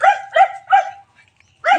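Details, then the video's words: Household pet cats at feeding time: three quick, evenly spaced harmonic meows in under a second, a half-second silence, then one more meow starting. "MEOW MEOW, MGA ALAGA KO NA PUSA"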